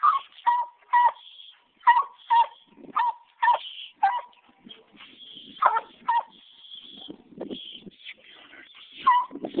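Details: A 15-month-old Walker Coonhound pup trees a caged raccoon. Sharp, clipped barks come in quick bursts with brief pauses, mixed with a few longer, higher-pitched bawling notes.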